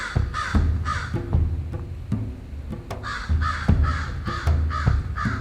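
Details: American bullfrog (ouaouaron) calling in Canada during breeding season in mid-June: deep, harsh, rumbling notes given in rapid pulsed runs, about two pulses per second, each with a rough buzzy overtone.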